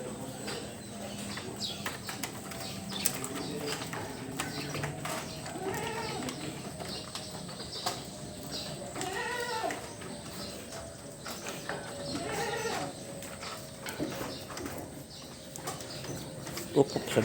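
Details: Three drawn-out, arching bleats, roughly three seconds apart, come from big, well-bred goats estimated at 70 to 80 kilos. Low background rumble, light clatter and faint voices.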